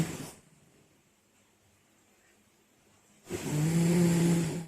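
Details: A sleeping French Bulldog snores loudly, a rough, rattling breath in the low register after a quiet pause.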